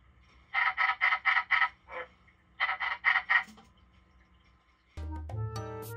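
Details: Kept in captivity, a white-lipped tree frog calls in two quick runs of four or five grating, nasal notes, followed by a few softer trailing ones. Silence follows, then music begins abruptly near the end.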